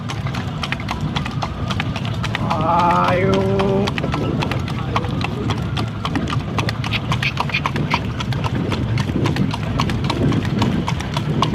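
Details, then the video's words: Horse drawing a cart through the night, rapid clattering hoofbeats in a quick double-time clip-clop over wheel rumble; a person speaks clearly for a moment early on, then the hooves continue alone. "Clip Clop Sound effect. // Night time horse cart ride."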